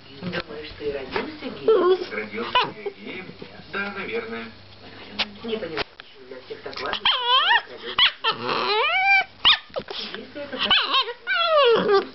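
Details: Chihuahua protecting his girlfriend: low rumbling growls, then rising and falling yelping whines in quick bursts, with people talking in Russian.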